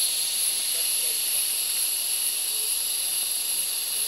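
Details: Rainforest cicadas in Gunung Gading National Park, Lundu, Sarawak, Borneo, keep up a continuous piercing whine, layered high ringing tones over an even hiss, steady in loudness throughout with no pauses.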